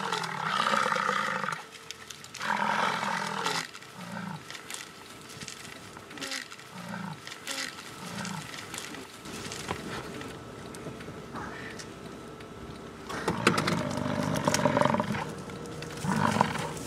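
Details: Fighting American bison in Yellowstone National Park, Wyoming, on the summer prairie, captured with a Canon VIXIA HF G40. Long, throaty roars repeat roughly every two seconds at the start, then fall quieter, and a loud rumbling bellow returns near the end over windy ambient noise.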